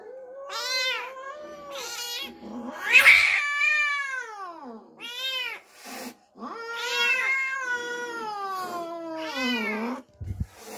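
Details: House cat upset after an unfamiliar kitten was brought into the home, producing loud, harmonically rich caterwauling wails that bend upward and slide down, one strained harsh outburst midway, calls repeated every couple of seconds indoors.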